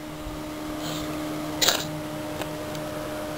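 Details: Steady mechanical hum indoors with a few soft clicks and no animal sound.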